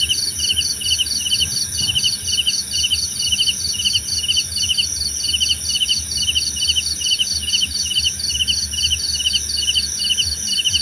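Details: Cricket calls for calm and sleep, brisk pulsed chirps about twice a second, layered high over a steady buzzing insect drone, with a quiet low rumble underneath.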